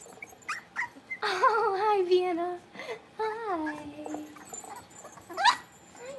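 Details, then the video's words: Playful Cavalier King Charles Spaniel puppies, blenheim coloured, from a five-pup litter born to Paris and Spike, indoors in their pen: loud drawn-out wavering whines that slide downward, a second shorter whine, then a sharp yelp near the end. "Cavalier Puppies Livestream: Playing, Barking, and Learning"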